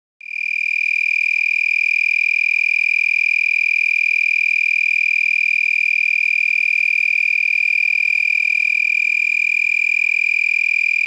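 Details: Several lacewings at night around 10 pm on 8 November 2021 in San Marcos, Texas, vibrating their wings held high above the abdomen, giving a big tree-frog-like sound: one continuous, steady, high-pitched ringing whine with bright overtones, unbroken throughout.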